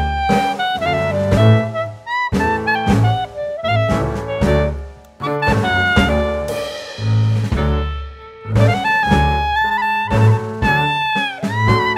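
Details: Jazz music with saxophone melody over plucked double bass and steady rhythm, with no animal voice heard.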